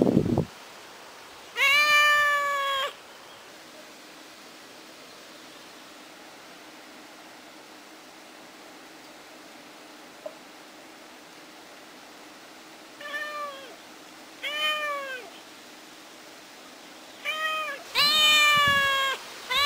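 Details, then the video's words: Kitten named Ginger, alone at home and calling for its mother, gives a long loud meow, then falls quiet for about ten seconds before three shorter cries and a final drawn-out wail; faint steady hum underneath. "The KITTEN is Crying and Calling for MOM / CAT MEOWS"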